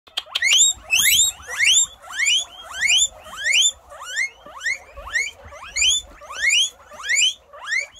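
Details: Guinea pig in the United Kingdom looking around, wheeking loudly: a steady series of sharp rising squealed whistles with bright harmonics, roughly three every two seconds, with no other sounds competing.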